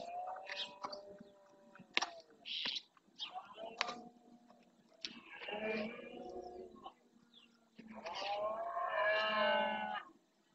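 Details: Red deer stags roaring during the rut in the marshes of Doñana National Park, Spain, calling to claim territory; drawn-out harmonic bellows with falling pitch, the loudest near the end, with chirping birds in between.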